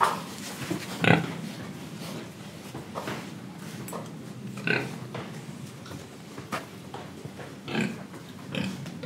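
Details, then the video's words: Indonesian pig oinking while breathing and eating: a few sharp, loud grunts spaced several seconds apart over a steady background of soft snuffling and chewing noises. "Pig Sound Effects Oink Oink, Breathing & Eating"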